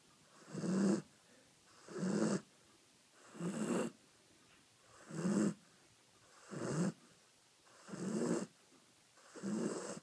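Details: Asleep, a dog snores loudly in a steady cycle, seven rough, low rasping snores about one every one and a half seconds, with quiet breathing between each.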